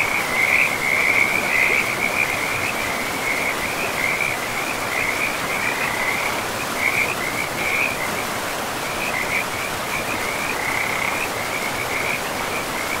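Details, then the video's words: Frogs by a river in a pristine forest, giving a continuous chain of short, high, chirping croaks, several per second, over a steady rushing roar of flowing water. "River and Frogs sleep sounds"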